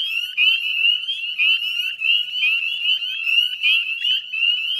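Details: Spring peepers (northern) calling en masse at dusk in mid-May, Chezzetcook salt marsh, Nova Scotia, Canada; sharp rising peeps pour out in rapid overlapping succession, a continuous high-pitched jingling chorus.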